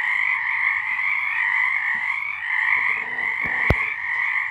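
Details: A March 2023 nighttime frog chorus, steady and thick with overlapping trills, while a sharp click or knock breaks through near the end.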